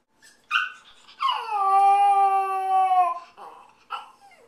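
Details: A Yorkshire Terrier puppy left home alone gives a high, drawn-out howl, bracketed by short whimpering yips, howling because he misses his owner.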